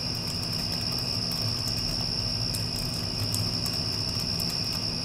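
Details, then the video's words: Steady, high ringing trill of crickets following a passing storm, unchanging in pitch throughout, with an air conditioner humming low underneath and faint ticking clicks. "Cricket Sounds with Air Conditioner (After Passing Storm)"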